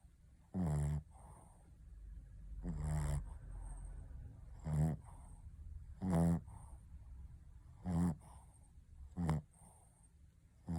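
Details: Shih Tzu Ponta asleep and snoring: buzzing, rattly breaths come every one to two seconds, some louder and longer than others, against a low rumbling hum in the room.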